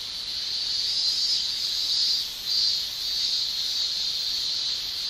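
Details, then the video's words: Male cicadas shrilling through a Japanese summer day via their tymbals: a bright buzzing wall of sound, rising and falling softly, with a brief dip midway before swelling again. "Japan Summer Cicada Shrilling"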